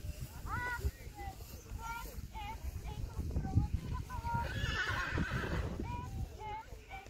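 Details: Friesian horse mare under saddle during dressage: short nasal, wavering neighs repeated about once a second over steady muffled hoofbeats and low rumbling background.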